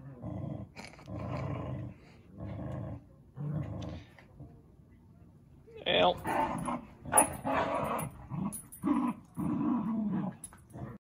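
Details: Dogs at play indoors: several short, low growling bursts open the passage, then a person speaks while scuffling, thumps and further rough growls mix together.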